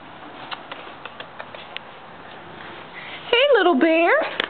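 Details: Stinky, a female pet cat indoors, turning grumpy at a sound she dislikes: soft taps, then two loud, strained meows, the first wavering and the second rising then falling, close to the microphone.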